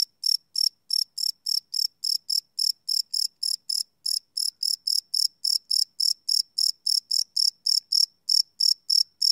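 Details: Night-time cricket chirps captured live with a Sony PCM D100 recorder, a steady train of sharp high-pitched pulses about three to four per second, slightly uneven spacing, no other sounds.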